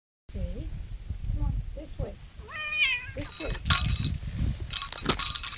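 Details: Male domestic cat unhappy at being walked on a leash, giving short whining meows followed by a longer wavering, rising-falling meow, amid low rumbling handling noise and sharp rustling, clattering bursts.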